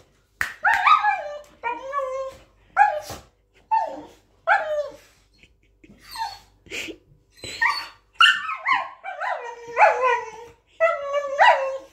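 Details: Grown-up Border Collie giving a series of high, yipping barks and whiny, drawn-out howl-like calls, often falling in pitch, repeated every second or so over twelve seconds.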